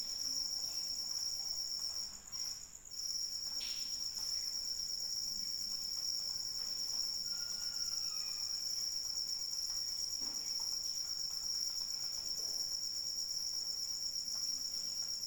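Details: Crickets calling in the rain, a steady high, shrill, pulsing trill that runs almost without pause, briefly dropping out near the start, over a soft hiss of falling rain, with a faint short whistle partway through.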